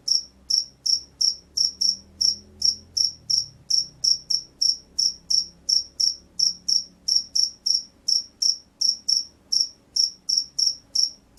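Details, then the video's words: Loud, steady chirping of a field cricket, sharp high-pitched pulses repeated roughly three times per second without a break, with a faint low hum underneath. "SUARA JANGKRIK SAWAH"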